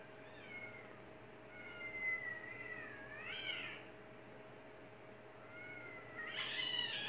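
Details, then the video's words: Domestic cat meowing in reaction to cat sounds played from another recording; several drawn-out meows, wavering and bending up then down, spaced over seven seconds, with a steady electronic hum underneath. "Cat reacts to sounds from another YouTube cat video"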